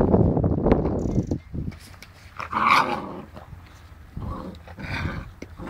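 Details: Seven-week-old Boerboel puppies playing with a cat: rough growling and scuffling open the clip, then short whiny yips and scrabbling noises come in bursts.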